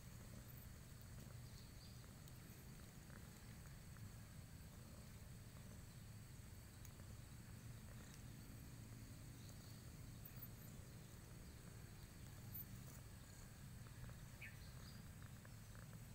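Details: Spoiled, affectionate house cat giving a continuous low purr, a soft rhythmic rumble that holds steady without breaks, with only faint scattered ticks in the background.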